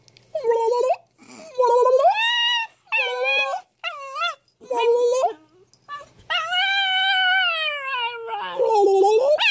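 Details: Pet dog named Atlas, reacting with apparent dislike to its owner's silly shenanigan sounds: a run of tonal, howl-like whines in short bursts, some rising and bending, then a long drawn-out howl near the end, with brief human voice between.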